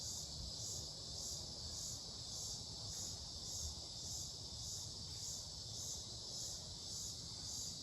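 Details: Insect sound from Mankato, Minnesota, 18 July 2025, species unknown: shrill rhythmic buzz throbbing nearly twice per second above a constant high whine, with low-pitched background rumble.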